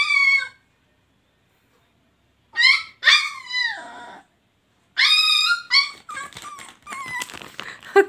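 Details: Puppy that makes cat-like sounds: a series of high, harmonic mewing whines and yelps in bursts separated by silences, ending in a quick run of short yips.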